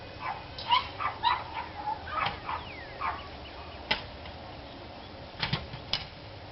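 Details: Several dogs barking, recorded 29 March 2013: a quick run of short, harmonic barks in the opening two seconds, then a few isolated sharp sounds and a final cluster of yaps near the end over a constant background hiss.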